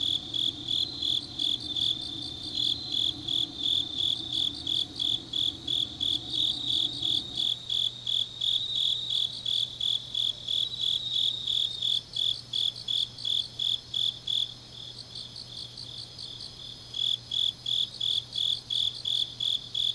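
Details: Grass insects calling late on an autumn night in Changnyeong, South Korea: a long run of steady high chirps about three a second, a faster-pulsing insect layered above, and a faint low hum fading after the first seconds.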